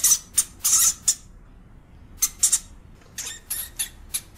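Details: European hamster giving harsh, hissy, noise-like squeaks in short bursts: a cluster of four, a pause, a pair, then a quicker run of five fainter bursts, with no other sounds.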